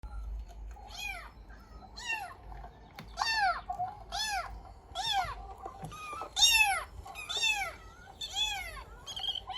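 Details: A pet cat indoors reacting to a recorded meow sound, with a series of about ten rising-then-falling meows, bright and harmonic, coming roughly every second and getting louder toward the middle; faint low background hum.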